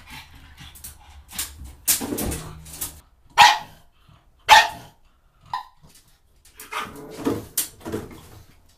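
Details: A pug from a funny talking-pugs compilation gives short, sharp barks spaced a second or more apart, with quieter grumbles and soft household noises between them.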